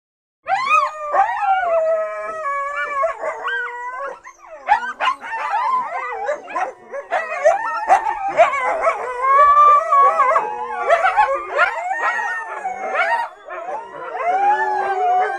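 Several coyotes howl and yip together, their wavering voices sliding up and down in a tangled chorus.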